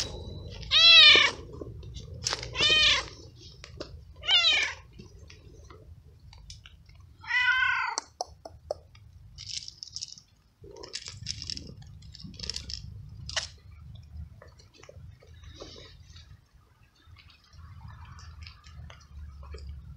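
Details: Wet, abandoned stray cat, found unsheltered in the rain and given treats and kibble, meowing a lot, perhaps from the cold: four loud, drawn-out harmonic meows within the first eight seconds, then softer clicks and faint chewing-like noises.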